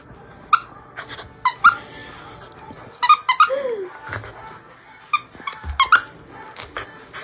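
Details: Rescue dog at home making strange squeaking noises, called noisy: short high squeaks in irregular bursts, with one lower sliding whine in the middle; soft background music.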